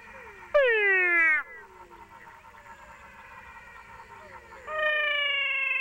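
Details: Cat frogs of two species calling side by side in Paraguay, heard up close: one loud harmonic wail sliding downward like a crying cat, a stretch of softer background calling, then another steadier, flatter wail begins.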